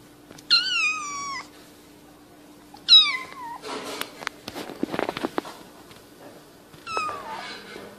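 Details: Cat meowing indoors, a compilation of funny, cute cats: a high, drawn-out meow with a falling tail, a second shorter meow, then a burst of clicks and knocks, and a final brief meow.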